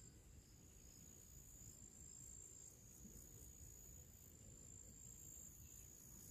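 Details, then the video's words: Crickets with other small creatures singing in nature on a summer pre-evening: a thin, steady high-pitched trill with faint rapid pulsing above it, over a low rumbling background hiss. "Moments of relaxation with purple flowers and cricket sounds"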